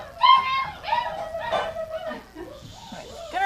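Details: Dogs waiting for their gruel in a kitchen at dinner time, January 20th, 2017. High whines slide and waver, then fade into softer whimpers. A person's voice calls out dinner time, with music playing.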